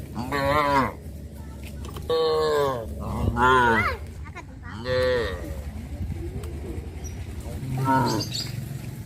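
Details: Village cattle herd released from the pen in the morning, walking quietly along a village road toward green grass fields; five loud, harmonic moos, several rising in pitch, spaced across nine seconds over a steady low rumble.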